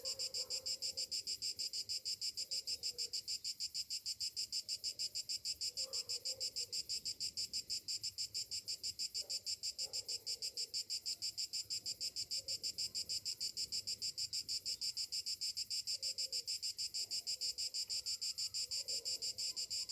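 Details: On a summer morning, cicadas keep up a continuous piercing buzz that beats in quick even pulses, while occasional soft, lower chirps and murmurs surface faintly beneath it.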